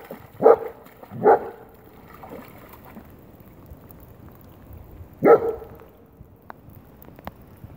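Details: German Shepherd playing in rainwater, barking: two sharp, loud barks close together near the start, then a single bark after a pause of about four seconds, with faint splashing and small clicks between.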